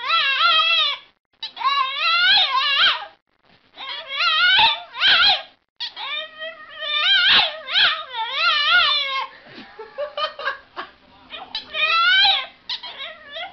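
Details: Domestic dog 'talking' in a run of wobbling, howl-like whines, each lasting about a second. Brief gaps separate them, and the calls grow choppier toward the end.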